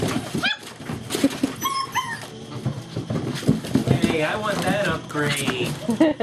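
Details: German Shepherd puppies playing together indoors on 5 February 2012, seven and four weeks old; high rising-and-falling whines and short yips in quick bursts, with people talking throughout and scuffling play noises.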